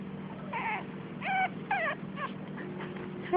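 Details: Five-week-old puppies whimpering and yipping: short high whining cries with a few harmonics, roughly four bursts spaced about half a second apart over steady low hum, a woman's voice speaking softly nearby.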